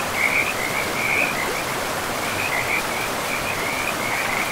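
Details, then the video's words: Frogs by a river in a pristine forest give rapid, buzzy trilled calls at a steady high pitch in overlapping bursts, over a constant broad rush of flowing water. "River and Frogs sleep sounds"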